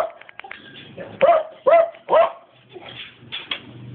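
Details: Dobermann indoors letting out three loud, sharp barks about half a second apart, framed by softer, fainter whimpers and yips before and after.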